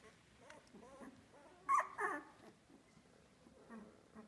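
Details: Two-week-old Australian Labradoodle puppies from one litter; soft, wavering whimpers with a rising-falling tone, then two sharp, louder yelps in close succession, followed by quieter whines.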